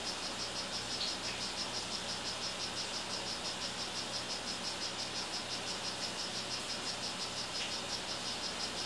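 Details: Calling male 'rio guarumo' strawberry poison-dart frog in captivity: a long, regular run of thin buzzy chirps, about three a second, with a soft click near the start and a persistent low hum throughout.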